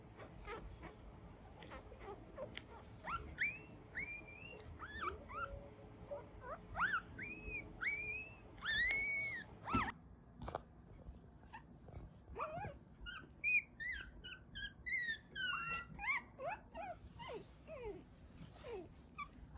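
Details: Soft chorus of newborn Mame Shiba puppies crying as they dream, Isa, Kagoshima, Japan: many short, squeaky, upward-curving whimpers overlapping in quick succession, fairly quiet over a steady background hiss.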